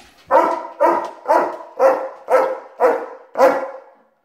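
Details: Pet German Shepherd Rocko, unhappy that his owner is going to work, lets out seven deep, evenly spaced barks, one roughly every half second, in a steady series.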